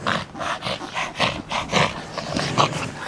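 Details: Yorkshire Terrier worked up while playing with a ball, panting in rapid rhythmic breathy bursts, a little over one per second, with a faint whine near the end.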